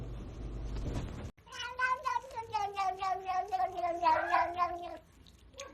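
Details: Cat in a compilation of funny cat moments, giving a drawn-out, wavering meow of about four seconds with a pulsing, throaty quality, preceded by a short burst of background noise.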